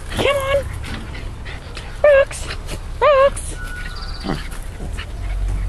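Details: Schipperke dogs during a household good-morning ritual, whimpering as the owner calls one of them: short rising-falling whined notes around two and three seconds, overlapping an excited woman's voice calling "come on" indoors.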